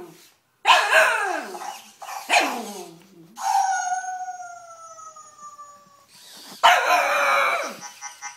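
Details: Three-and-a-half-month-old cocker spaniel puppy discovering a robot dog, giving rough, falling barks in short clusters, interrupted by a long smooth tone that slowly drops in pitch, then another burst of barking.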